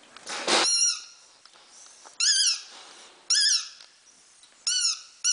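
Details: Havanese pups at five weeks, bred from Teddy and Irie, squeaking in high, wavering whimpers that swoop up and down, four or five cries in quick succession after a brief noisy burst at the start.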